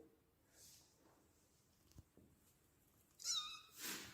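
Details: An angry domestic cat gives a short tonal yowl, then a sharp, breathy hiss, hissing back at a person.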